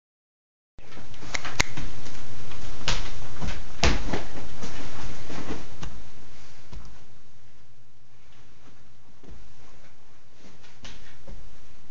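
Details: Loud low rumble and knocking from a phone being handled indoors, with clattering bumps and no bark or other animal voice.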